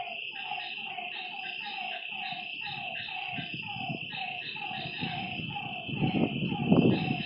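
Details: Frogs calling at night by a lake: short, slightly falling notes repeated rapidly in overlapping series, over a steady high insect-like drone, with low rustling growing louder near the end.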